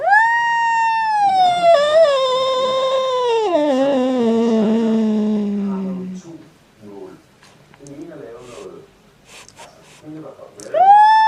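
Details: Cat crying out strangely indoors, a loud sustained wail that wavers then drops in pitch and fades into a low moan, brief murmuring sounds, and a fresh rising wail at the end.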